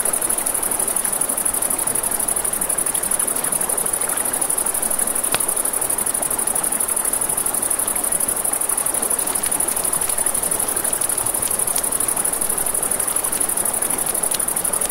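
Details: Crickets chirp at night near a river in a long, steady, high-pitched pulsed trill, accompanied by constant flowing water and several sharp campfire crackles scattered through.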